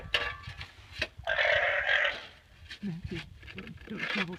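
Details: Jr the alpaca, at a horse he has been squabbling with all day, gives a harsh, shrill, wavering call lasting about a second, with a person talking nearby.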